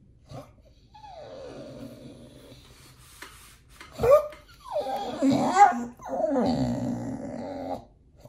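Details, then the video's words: Pit Bull named nomyen, indoors at feeding time, begging for raw food; drawn-out falling whine followed by louder, wavering whimpers and moaning vocalisations in a small room. "When nomyen the Pit Bull is begging for feeding"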